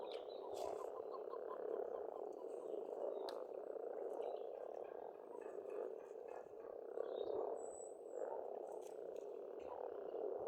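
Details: Frogs massed at a pond in spring in Estonia, churring steadily in a thick rolling chorus that rises and falls, while scattered high bird whistles and chirps sound over it.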